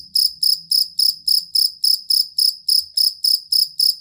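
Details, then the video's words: Cricket, a collar or fighting cricket kept as a tutor sound for competition songbirds, giving loud, high, ringing chirps repeated about three to four times a second in a steady even rhythm, with no other clear sounds. "Suara Jangkrik Master Burung"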